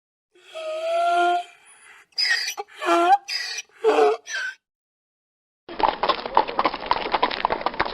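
A donkey gives a loud bray: a sustained, tonal opening followed by several rasping, pulsing bursts in quick succession. A second, noisier stretch of braying follows after a brief silence.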